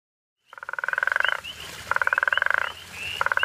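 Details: A guttural toad (Amietophrynus gutturalis) near Hazyview on safari gives rasping, pulsed snores in bursts under a second long, repeated in quick succession.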